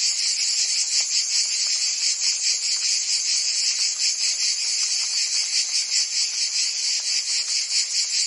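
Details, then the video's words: Cicadas singing in summer in Provence, France: a dense, continuous high buzzing chorus with a fast pulsing texture, steady in loudness, and no other clear sounds. "Cicadas singing in France (Provence)"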